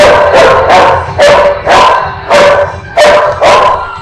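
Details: Dog barking in a loud, steady series, about seven sharp barks in four seconds, each bark a short, harsh burst with a clear tonal core, evenly spaced with brief gaps between them.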